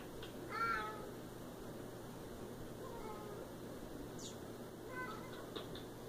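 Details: Siamese cat giving a clear falling meow early on, followed by fainter, shorter meows, with a low background hum and a few soft clicks.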